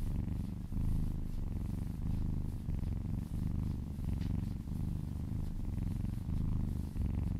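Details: A little kitten purrs while being massaged, licking along an arm: continuous deep vibrating rumble rising and falling with each breath, roughly every second, plus light scratchy touches.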